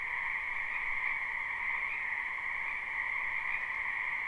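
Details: Numerous frogs calling together in a spring wetland near a house, captured live with no looping; the blended chorus holds a uniform, trilling drone at two pitches, swelling slightly near one and two seconds.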